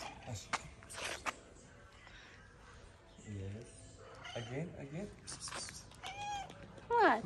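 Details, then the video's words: Tuxedo cat in Morocco, angry at being picked up, gives drawn-out wavering meows and a sharp rising cry at the end, amid a woman's speech and handling noises indoors. "Tuxedo cat gets angry when my husband picks him up."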